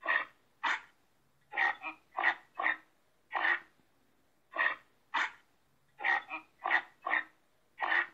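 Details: Reindeer grunting in a steady series of short, hoarse, nasal bursts, about a dozen over eight seconds, some in quick pairs and others spaced a second apart. No other sounds are heard.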